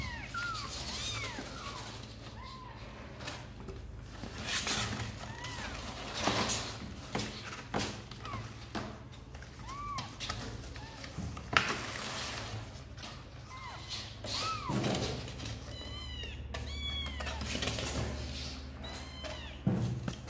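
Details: Several kittens of Sor and Kapov mew insistently, seemingly wanting out to play; short high arched cries come in quick clusters throughout, over rustling, knocks and a low hum.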